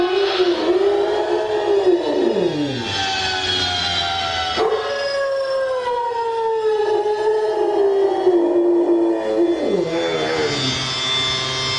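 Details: Rottweiler dog howling in response to a siren played on a portable music player; long wavering howls with rich harmonics, sliding up and down, several drawn-out howls blending with the steady siren tone.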